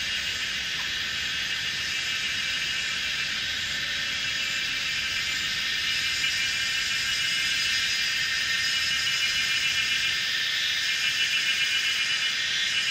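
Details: Evening chorus of Kaempfer's cicadas on a mountainside corner of old Route 106 in Pinghe Village, Taiwu, Pingtung County, 17:30, 19 May 2016, Canon PowerShot SX700 HS: continuous high, hissing drone from many insects, unbroken and even.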